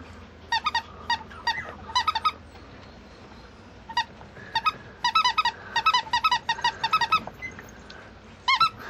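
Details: Female Mame Shiba puppy at a breeder, giving high, thin squeaking whines in quick bursts of three to six, pausing briefly between runs, indoors with a faint room hum.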